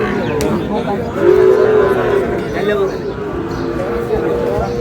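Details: Sahiwal bull calves at the start of trading at Ambari cattle market, Dinajpur, Bangladesh, on 11 May 2026: one steady, mid-pitched moo lasting under a second, set against constant crowd murmur and bargaining voices.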